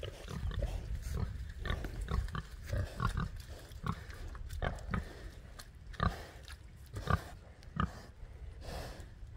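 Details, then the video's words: Domestic pigs on a farm, said to be talking to their keeper: short low grunts and snorts come in irregular bursts, roughly one a second, some louder and sharper, over a steady low rumble. "My pigs are talking to me"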